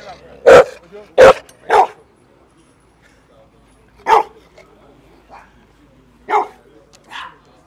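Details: Bull Mastiffs almost coming to blows over attention, giving loud abrupt barks, two close together at the start, then single barks spaced a second or two apart, with faint speech in the background.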